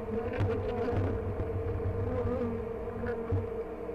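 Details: Honey bees in hives at The Mountain during a hive check on 22/6/29, colonies busting with honey, queen and brood present; steady droning hum at one fixed pitch over a low rumble, with faint knocks.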